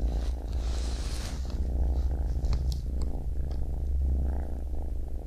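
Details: Baby kitten purring over a heavy deep hum, the rough low vibration continuing steadily, with a soft hiss at the start and faint clicks.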